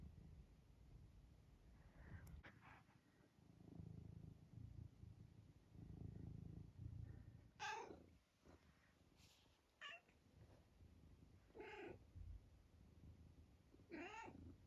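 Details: Vocal senior tabby cat, almost 12, from Great Britain, trying out random squeaks while amusing himself: four brief sharp chirping squeaks spaced about two seconds apart in the second half, over low murmuring and quiet indoor rumble.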